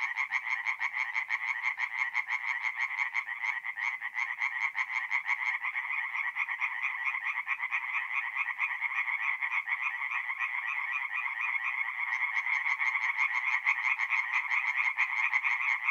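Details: Chorus of tree frogs at a forest pond by night, mid-April, north-east Italy; continuous overlapping rapid nasal croaks forming an unbroken rattling wall of sound, several animals calling together throughout.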